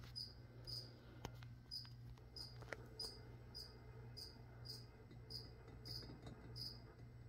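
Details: Cricket chirping indoors during an ASMR session of spraying plants: short, bright chirps repeated steadily about one to two per second over a constant low hum, with faint clicks and light handling noises.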